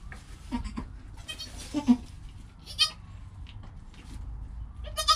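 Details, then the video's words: A GoPro records newborn goat kid Joel, not an hour old, with his calm mother Penny: brief, faint bleats scattered through the clip, one sharper cry at the very end, over steady low background noise. "4K Baby Goat - One Hour Sound and Video"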